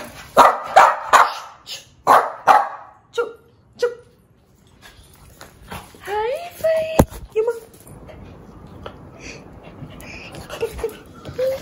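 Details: Loud, sharp barks come in a fast series from an angry one-year-old female Shih Tzu, then fade into softer whines and yips while a person talks in the background.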